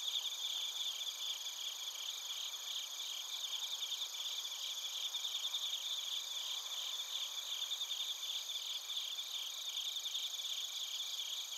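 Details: Crickets and bell crickets (suzumushi) chirping in Narita, Chiba Prefecture, Japan, captured on a TASCAM Portacapture X8; a dense, steady high-pitched chorus of rapid pulsed chirps layered with continuous shrill ringing bands, no other sounds.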